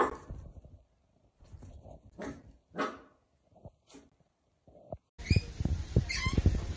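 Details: Miniature Dachshund indoors giving short sharp barks and yips, some with rising harmonic tone, spaced irregularly over five seconds, followed by a louder noisy segment with music.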